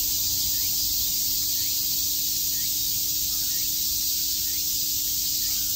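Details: Cicadas chirping en masse on a summer day at Shakujii Park in Tokyo, forming a continuous shrill buzzing wash with no pauses, over a faint steady low hum.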